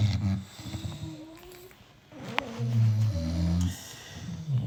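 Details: Sleeping British Bulldogs, six of them, produce deep droning snores in bursts, a quiet lull midway, then a louder throaty rumble with nasal whistling overtones returning toward the end.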